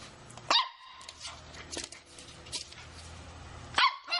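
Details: Shih Tzu puppy at play indoors: a shrill yap, a pause with faint rustling and small yips, then another sharp bark over three seconds later.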